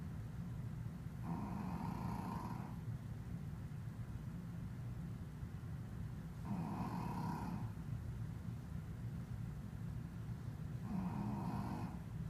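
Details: Shih Tzu snoring while asleep: rasping snores come about every five seconds over a steady low rumble.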